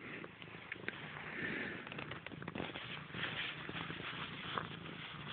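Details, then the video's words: Grey, a pet cat, purring up close: a steady low rumble pulsing in soft even beats beneath faint rustling and handling noise. "Grey has a motor"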